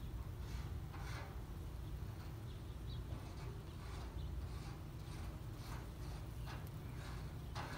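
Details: A bumblebee at bee balm flowers gives a low, steady droning buzz beneath soft outdoor rustling, at 6:11 pm on 7 July 2021.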